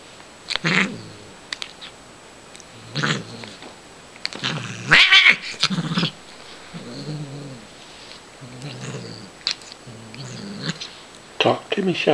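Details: Female Siamese cat Shiloh during play with a feather toy indoors: low, droning growl-like murmurs in separate bursts, a sharper louder cry near the middle, and a person's voice nearby.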